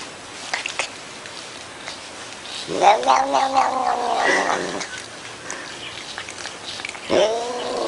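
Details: Cat making weird noises: a drawn-out, wavering yowl lasting about two seconds, then a shorter rising yowl near the end, over steady background hiss and a few clicks.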